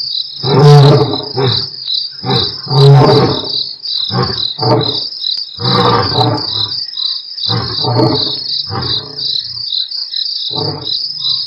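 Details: At Nkorho on 12/11/07, two Mapogo Coalition lions continue roaring on an Africam live stream: strong low grunts early, then a run of softer, evenly spaced grunting bursts fading off, under a constant high cricket chirr.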